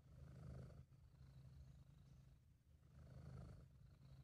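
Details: A contented British Shorthair named Sabu gives a low, vibrating purr, recorded by an amateur, swelling loudest near the start and again toward the end as the cat breathes in and out.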